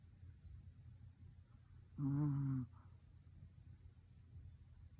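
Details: A sleeping, tired Pomeranian dog snores once: a single low, buzzy, steady rumble lasting about half a second, rich in overtones, set against a quiet indoor background hiss.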